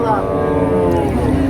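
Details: Cattle at a weekly cattle market in Deohata, Mirzapur, Tangail, Bangladesh: one long, steady, harmonic moo held for over a second against a crowded background.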